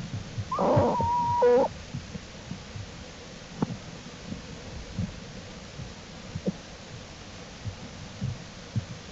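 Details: American black bear cubs of the mother Jewel, exploring outside the den on April 2, 2012, studied by the Wildlife Research Institute. A short, steady tonal whine, level then dropping, followed by soft scattered rustles and faint thumps.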